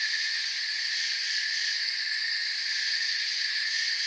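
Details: A dense chorus of crickets in a forest makes a steady, high, shimmering trill with no breaks.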